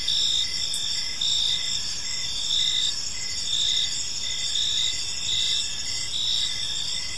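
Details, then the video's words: Crickets chirping in a park on an evening: steady high-pitched trills layered into a dense chorus, with short pulses repeating roughly once a second and a fainter chirp line beneath. "Cricket Sounds in a Peaceful Park"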